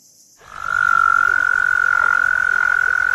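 A toad gives a long, steady musical trill at an even pitch, held unbroken for nearly three seconds over faint background hiss.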